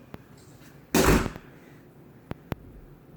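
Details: A sharp, loud burst like a firecracker lasting about half a second, followed by a few faint clicks and two short pops, with no animal voice.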